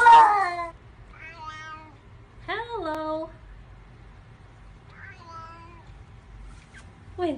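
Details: A talkative domestic cat, as if arguing with its humans, gives a loud opening meow followed by softer, spaced meows at about two-second intervals, some rising then falling, over a quiet indoor background.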